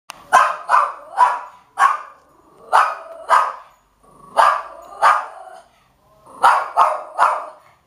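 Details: Domestic dog barking in short, sharp bursts, about thirteen barks in eight seconds, often in quick pairs or triplets separated by brief pauses; no other sounds stand out.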